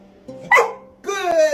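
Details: Formerly silent rescue dog barking after years of encouragement, praised by its owner: two short barks with a harmonic, voiced quality, the second longer and falling slightly, with the owner's voice saying good boy.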